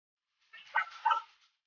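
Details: Belgian Malinois puppies in the Philippines: two short, high yelping whines in quick succession, about a second in all, against otherwise silent background.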